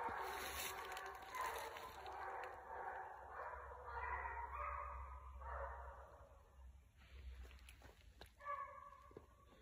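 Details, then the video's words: Six basset hounds on a rabbit's trail, 12/21/22, bay loudly in overlapping, wavering tones for about six seconds before the chorus thins. Rustling and crackling follow, then one final short bay. "Basset Hound Pack of 6 Hunt Rabbit"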